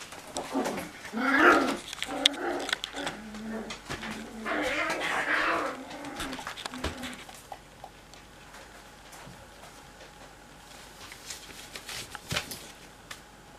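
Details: Cocker Spaniel puppies playing together in a bathroom: bursts of yelping, whining calls with stacked harmonic tones during the first seven seconds, then quieter scuffling with sharp clicks in a small echoing room.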